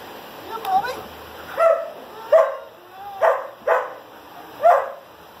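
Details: A year-and-a-half-old German Shepherd completing four weeks of obedience training barks loudly: six short, punchy barks spaced roughly every half second to second, against a quiet background with faint low voices.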